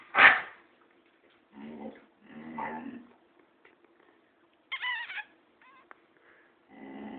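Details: Pet boxer dog barking at its owner indoors: one sharp loud bark, then several lower rough, muffled barks spaced about a second apart, with a brief squeaky whine midway.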